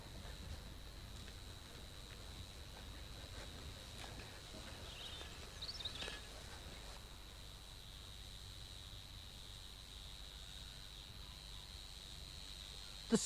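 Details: Male Roesel's bush-cricket from a small colony at a marsh edge in Essex sings a steady, high, squeaky buzz by rubbing wing pegs, warning rival males and attracting females, through low rumbling wind.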